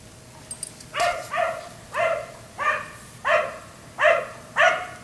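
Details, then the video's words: At night, a neighbour's black Labrador kept outdoors until 1am gives six loud, hoarse barks spaced less than a second apart, each bark a short harsh burst. "Dog barking until 1am"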